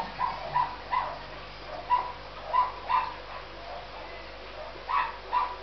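A Miniature Dachshund gives short, high-pitched yips and whines in quick, uneven bursts.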